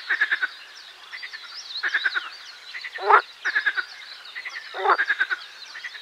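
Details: Pelophylax ridibundus, the marsh frog, in a busy chorus: several overlapping callers give trains of fast rattling pulses, punctuated by two loud, grating bursts; constant chattering frog background.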